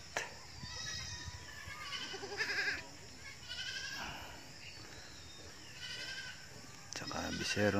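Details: Goats from an owner's herd that is just beginning to grow, giving wavering, nasal bleats in several bursts, with a person talking in the background throughout.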